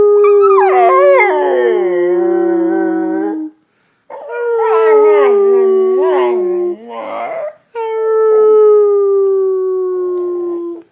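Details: Female pet dog giving three siren-like howls, each a sustained note sinking gradually in pitch, the middle one wavering and cracking, separated by short silences.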